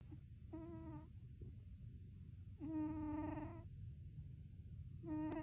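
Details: Sleeping cat making groaning, moaning vocal sounds likened to Chewbacca: three tonal, harmonic drawn-out groans about a second each, roughly every two seconds, over a soft low rumble and a constant faint high electrical whine.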